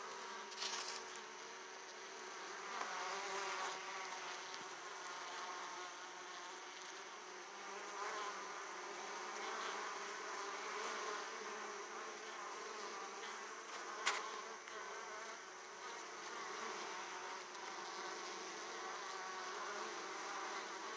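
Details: Italian honey bees at an opened hive, returning laden with large loads of pollen; a dense, continuous buzzing hum of many bees with layered droning tones, steady throughout with a few sharp clicks and knocks.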